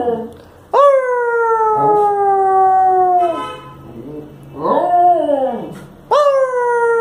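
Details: Male Lhasa Apso howling in the evening while his owner tries to get him to speak. Two long, smooth, falling howls bracket quieter scratchy sounds and a softer, arched, lower-pitched moan in the middle.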